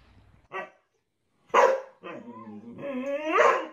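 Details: A Husky, filmed indoors, 'talks' with a couple of short barks, then a low moaning note. This swells into a rising, strained howl that climbs in pitch over the last second.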